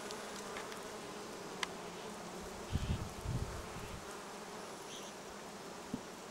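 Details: Foraging bees on acacia and other plants by the Sun Highway, Cernavodă to Medgidia; a low, sustained hum of many bees, broken around the middle by several dull bumps of wind or microphone handling.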